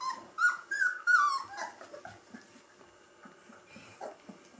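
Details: Three-week-old Gordon Setter puppies cuddling indoors, giving a run of high whining squeals, several rising-then-falling cries in quick succession at the start, then softer scattered whimpers and small grunts.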